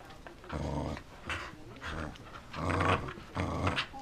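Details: A corgi growling in a small indoor room: four rough, low grumbling bursts, each under a second long with short pauses between them, the last two louder.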